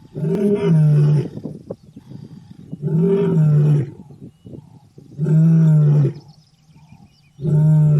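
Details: Loud, deep, moaning roars from a lion in its wild habitat, each about a second long with strong rich overtones, repeated roughly every two to two and a half seconds, four in a row.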